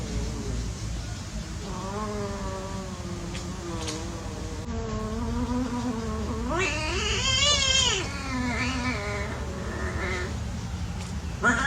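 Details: Domestic cats at play, a drawn-out wavering yowl that rises and falls in pitch for several seconds, then a sharper, higher, quavering cry near the end over steady low background hum.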